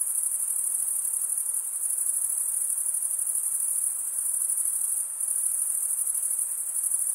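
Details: Unbroken high trilling of crickets stridulating, level and even throughout apart from one brief dip near the end, over a light background hiss.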